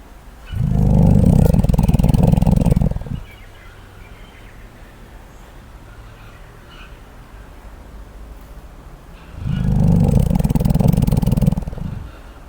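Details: Sleeping koala giving two loud, deep snoring bursts, each about two to three seconds of rough, pulsed low rumbling, separated by a long quiet pause of steady background hiss.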